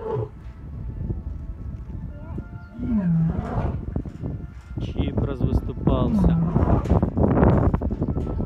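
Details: Lions at Taigan lion park in Crimea, with Chip starting a roaring call-and-response and mother Choli joining; deep pulsed roars carry low beneath overlapping human speech, with background music.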